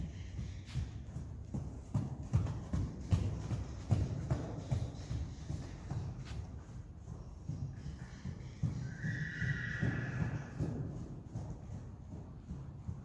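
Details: Friesian horse from a herd giving a short, bright neigh of nearly two seconds late in the recording, after a long run of dull, irregular hoof clopping and thuds.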